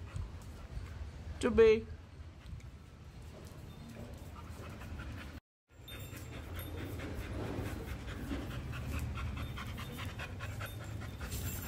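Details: Chubby, a pregnant female Labrador Retriever 61 days along, on her daily walk, recorded with an iPhone 7 Plus. A brief high sliding voice comes first, then a short dropout, then steady, rhythmic, breathy panting pulses with a faint human voice.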